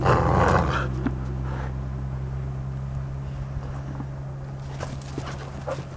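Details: A Golden Retriever at play gives a low, rumbling growl with a few sharper snorting bursts at the start.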